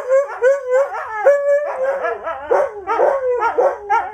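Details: Several Siberian huskies, the household's dogs joined by a visiting friend, howl together in a run of wavering, yodelling howls that rise and fall in pitch.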